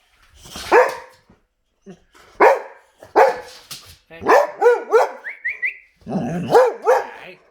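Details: Boxer dogs, more than one, reacting indoors to a vacuum cleaner: a run of loud, harmonic barks and sharp yelps in irregular bursts, with one rising whine, while a person scolds and talks between them.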